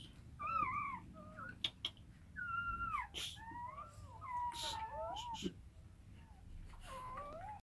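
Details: Rottweiler with her puppies; faint to moderate overlapping squeaky whines with sliding pitch, scattered through the recording alongside soft knocks and rustling.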